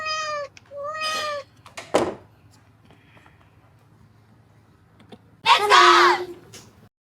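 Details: A cat indoors gives two clear, tonal meows early on, then a longer, louder, wavering meow later, with a person's voice and light handling noises in between.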